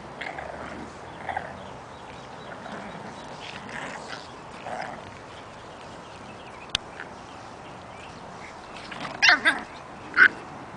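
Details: Eight-week-old puppies, including Breezy, Daisy, Lily, Lenny and Squiggy, playing outside; soft scattered yips and whimpers early on, then two sharp, loud barks close together near the end over a steady outdoor background.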